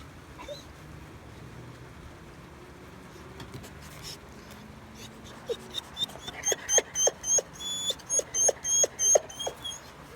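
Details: Mako the dog gives weird whimpering while neighbours make noises: after six quiet seconds, a rapid run of short, high, squeaky whimpers with bright overtones, about three per second, over faint background hum.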